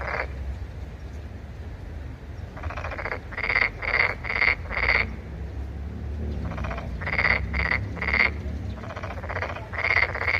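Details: Frog calling with harsh, buzzy pulsed croaks in quick runs of three to five notes, several per second, with short pauses between runs; a low background hum underneath.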